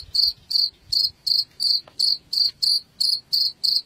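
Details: Cricket sound used to drive rats away, a steady series of shrill trilled chirps at a high fixed pitch, about eleven bursts in four seconds, evenly spaced over a quiet low background.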